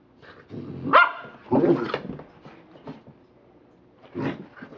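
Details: American Pit Bull Terrier named Rocky playing with his toy indoors; low rumbling growls with a sharp bark near one second, another growl burst mid-clip and a short grumble near the end.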